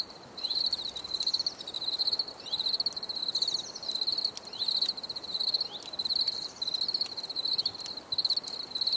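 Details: Crickets chirping for relaxation: a steady high trill near one pitch, pulsing in bursts about once or twice a second, with faint higher overtones and sharp clicks scattered throughout.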